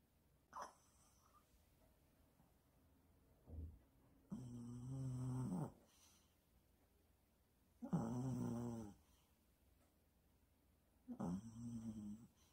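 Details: A male Maltese dog in his ninth year snores while asleep: three drawn-out, rumbling low snores with a nasal buzz, each lasting about a second, spaced roughly three to four seconds apart, with soft breathing between.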